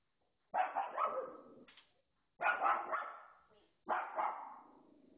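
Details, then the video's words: Female pet dog indoors barking excitedly at a television showing a pet programme; three loud, harsh, broadband barks roughly a second and a half apart, each trailing off, in a quiet room. "Dog Barking at TV"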